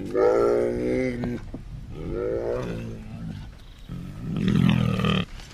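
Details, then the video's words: Bear making three hoarse, drawn-out groans about a second long each, the last deeper and rougher like a growling roar, separated by short quiet gaps. "សំលេងសត្វខ្លាឃ្មុំ/Bear sounds"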